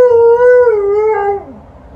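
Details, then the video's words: An Alaskan Malamute lying down gives a short mournful howl that holds steady, dips, then slides downward and fades away within two seconds. "Alaskan Malamute does 2 howls while laying down"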